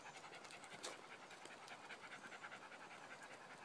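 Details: On a paved woodland nature trail in northeast Oklahoma on 16 May 2015, with the sun just out after rain, a Cairn Terrier pants quickly, breathy huffs about two or three a second, against a steady outdoor hiss.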